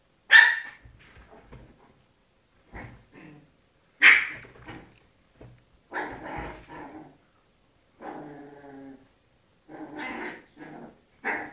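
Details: Little dogs fighting: sharp high yelping barks burst out loudly, followed by throaty growls and snarls in separate bouts with silent pauses between them.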